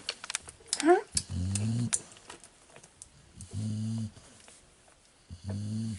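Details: Fawn male Staffordshire Bull Terrier puppy, number 1 of the 34th litter at the Staffordland kennel, filmed indoors on 19/10/2018. Low, droning snores repeat about every two seconds, with a brief squeaky voice and clicks early on.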